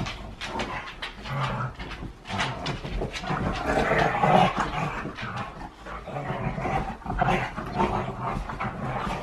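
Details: Huskies wrestling in play, not fighting, indoors: a steady stream of rough, low growls and huffing pants overlapping throughout, with scuffling noises and no clear pauses.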